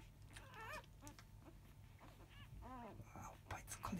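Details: Five-day-old field-type Labrador Retriever puppies, a litter born to the 2017 JFA Grand Champion biscuit, give faint rising-and-falling whines and squeaks, several short arched cries in a row over a low steady hum indoors.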